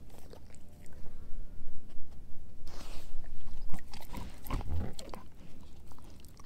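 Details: German Shepherd mix Edu crunching a dehydrated pig ear treat. Steady gnawing swells into a loud run of cracking bites around the middle, then settles back to rhythmic chewing.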